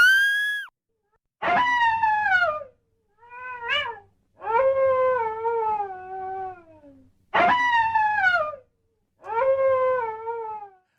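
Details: A coyote gives six wavering, drawn-out howls, each about a second long, sliding downward in pitch with a mournful, almost pained quality.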